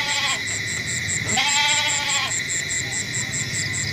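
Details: Goat giving a single wavering, nasal bleat of about one second, rich in harmonics, over a steady high whine and rapid pulsing background noise.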